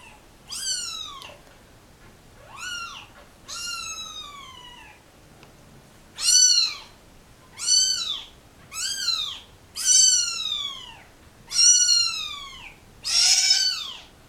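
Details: Crying kittens of a mother cat that was dumped with them in a cardboard box at a turnpike: a run of nine sharp, descending meows, loud and bright, coming faster toward the end, with little background noise.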